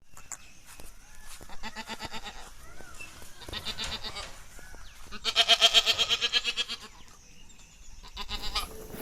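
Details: Female Jamunapari goat that has kidded twice and is not pregnant, offered for sale in Kadachanenthal, Madurai. Midway comes one loud, strongly pulsing nasal bleat with fast vibrato, surrounded by quieter rustling and clicking farm noise.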